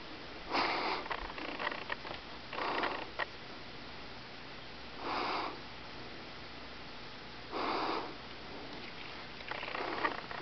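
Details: A kitten sniffs in short airy puffs of noise, five or so bursts across ten seconds at uneven intervals, each fading quickly, over a low steady room hum.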